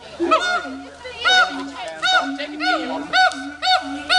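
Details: At Dubbo zoo a pair of siamangs show off with loud arching barks repeated roughly every half second, rich in overtones, over a low sustained droning note, with faint voices of watching schoolchildren.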